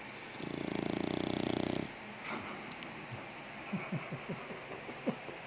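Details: Sleeping American Bully snoring: one long buzzy, rattling snore lasting about a second and a half, then quieter breathing with soft clicks and small snuffles.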